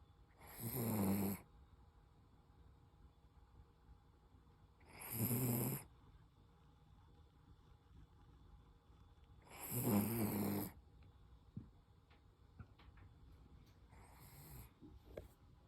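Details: Toy Poodle named Koro snoring: three drawn-out rasping snores about every four to five seconds, each low and rough with a breathy hiss, followed by a softer fourth and faint clicks in a quiet room.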